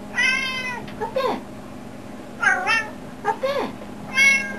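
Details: Pet cat meowing indoors while a person asks where its owner is; four or five drawn-out harmonic meows, some rising then falling, spaced about a second apart, over a steady low hum.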